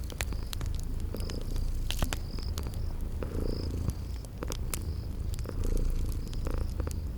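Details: Low, rumbling purr of sleeping kitties runs steadily under irregular crackles from a fireplace, while faint high cricket chirps sound every half second or so in the garden background.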